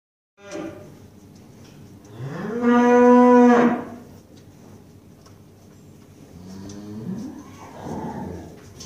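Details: Eastern Finncattle cow nursing her calf: a loud, harmonic moo that rises, holds steady for about a second and then falls away, followed later by a second, softer rising moo, with low rumbling in the background.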